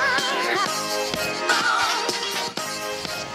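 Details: Upbeat music with singing and instruments plays throughout; no animal sound is heard.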